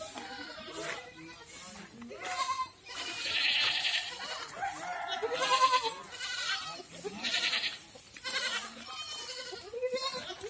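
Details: Several goats on a goat farm in Ajmer and Kota, Rajasthan, bleating in overlapping bursts, each bleat wavering and quavering, with bright high-pitched cries recurring through the pen.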